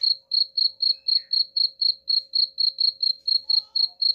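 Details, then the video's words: Cricket used to scare off rats, chirping without pause: about seventeen sharp, high-pitched pulses in just over four seconds, evenly spaced and steady in loudness. "suara jangkrik pengusir tikus ampuh"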